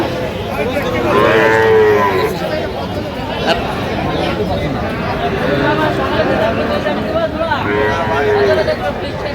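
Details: Sahiwal bull calves at a livestock market in Dhaka, Bangladesh, on 9 September 2025. Two drawn-out, steady moos come near the start and again near the end, over constant crowd chatter and haggling voices.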